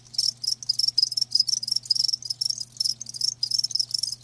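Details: Live crickets producing loud, rapid high-pitched chirps in short pulsed bursts about twice a second, bright and metallic, over a faint low hum.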